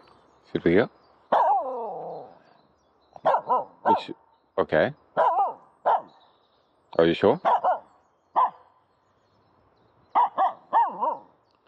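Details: Aamu, a female Finnish Spitz, plays with a stick in an empty horse pen on dry grass, 15 April 2023, letting out a dozen or so sharp, ringing barks in quick clusters, one sliding into a drawn-out whine, with silent gaps between bursts.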